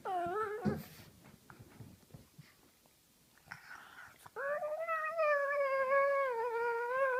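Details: Pug, female, making funny noises while her face is played with indoors: a short wavering whine at the start, quiet shuffling, then a long sustained nasal whining moan with rich harmonics rising and falling slightly.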